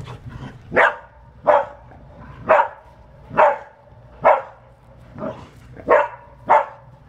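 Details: Priya, a blue-eyed Australian Shepherd, barks while playing football: eight short, sharp barks at uneven intervals, roughly one every second, over a quiet background.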